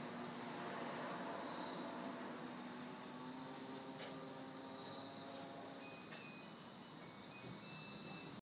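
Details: Great chorus of Aobamatsumushi, the tree cricket introduced to Japan that lives atop tall trees: constant high, bright trilling from numerous callers, pulsing volume, a brief click and a few faint higher chirps near the end.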